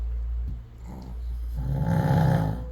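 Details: Sleeping Chihuahua snoring in the morning at home in Crimea, in a house shared with a poodle: after quiet breathing, a deep, rumbling, low snore swells and holds over the final second, with a soft voice nearby.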